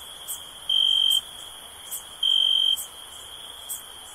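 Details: A cricket sounds two bright, even-pitched trilled bursts, each about half a second long and about a second and a half apart, with soft high ticking from other insects behind.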